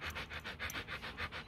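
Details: Kute Gervi, a 15-month-old female Rottweiler kept at home and bred from the young champion Bruno and Cynia Gervi, pants quickly and steadily with soft breathy bursts, about seven per second, and no other sounds.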